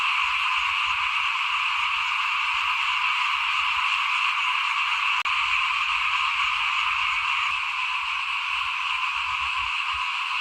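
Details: Chorus of frogs in front of a house during rice sowing, 2021: continuous massed croaking and trilling with no pauses, one brief sharp click midway, and soft low-pitched background noise.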